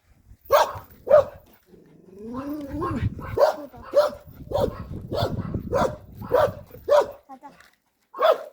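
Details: Puppy barking out on a walk, two quick yaps, then a spoken phrase, followed by a fast sequence of sharp, evenly pitched barks and a final lone yap after a pause.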